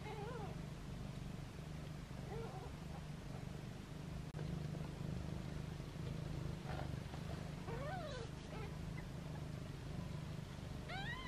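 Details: Playful meowing from foster kittens held in hands, their mother nearby; several thin, rising-then-falling kitten mews spaced a few seconds apart against a constant low droning hum.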